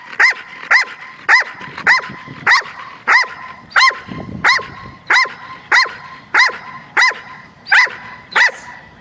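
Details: German Shepherd barking out of frustration while learning to bark on cue during ball training: a regular series of ringing, harmonic barks about every two-thirds of a second, around fourteen in total.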